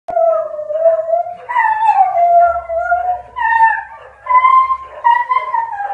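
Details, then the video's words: Bull Terrier, just woken up, howls in long, wavering tones that rise and fall like singing. "BELLA - OUR SINGING BULL TERRIER"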